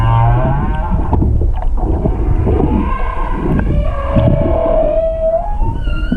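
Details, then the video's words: Humpback whale song recorded underwater off Hakohama, east of Chichijima, on 21 February 2021 from a stopped boat; low pulsed grunts give way to a drawn-out moan rising then holding steady, with faint upper harmonics. "ザトウクジラの声「音声加工なし」Humpback whale voice "no processing""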